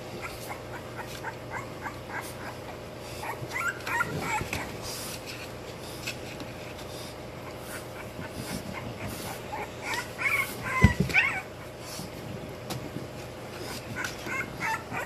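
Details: Young English Bulldog puppies, twenty days old, squeak and whine in short rapid bursts, several voices overlapping, with clattering thumps and rustling near the middle and a constant low hum behind.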